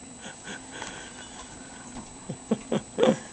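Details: A Siberian Husky, told to "speak" and then "louder" to earn a treat, gives a few soft, breathy, whispered woofs that grow slightly stronger toward the end.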